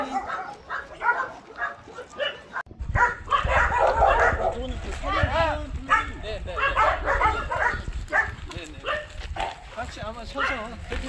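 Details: Abandoned medium and large dogs, about 200 together at Hans Care School in Gyeongju, South Korea, a shelter where trainers prepare lost and abandoned dogs for adoption. After a short quiet start, many overlapping barks and yips sound at once, with human voices mixed in.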